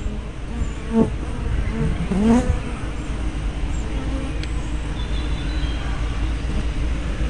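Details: Hive-entrance honey bees, recorded 24 May 2012 on a spy cam fitted with a 180-degree fisheye lens: two clear buzzing passes near one and two seconds with sliding pitch, then fainter droning over constant low rumble.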